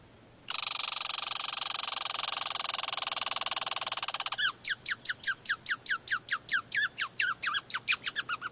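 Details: American red squirrel named Meemor, giving its territorial rattle, known as the rattlesnake, to tell the neighbourhood the area is his: a dense, buzzy rattle of nearly four seconds, then a quick run of sharp, falling chirps, about four each second.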